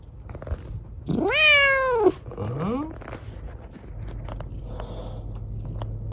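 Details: Chico, a rescued kitten left lame by an accident, sits on Dad's lap indoors. She gives one long, loud meow that rises then falls, then a shorter, softer meow. Faint room noise underneath.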